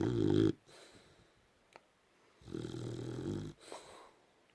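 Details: A sleeping Boxer hogging a king size bed at night gives two deep, rattling snores about three seconds apart, separated by quiet wheezy breaths.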